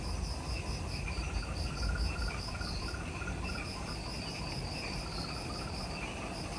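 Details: Insects give a steady chorus of high, pulsing trills over a low rumble of background noise in jungle forest on Ishigaki Island, Okinawa, Japan, recorded at twilight just after sunset, near the Mt. Omoto trailhead.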